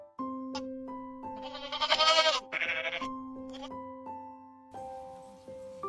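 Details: Sheep bleating from a children's compilation of farm and wild animal sounds; a loud wavering, vibrato bleat rises mid-clip, followed by a shorter one, over sustained background music tones.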